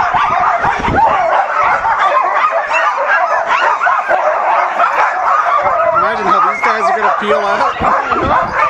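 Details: Huskies at Caribou Crossing, Yukon, 15 May 2013, eagerly yelping and whining in a crowded chorus, with a human voice talking beneath the dogs near the end.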